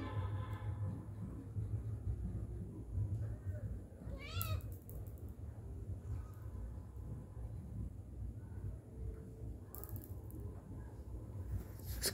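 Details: Domestic cat, a father cat with his kittens while they eat, giving one short bent meow with rich overtones partway through, set against steady low rumbling, faint clatter and a man coaxing softly in Bengali.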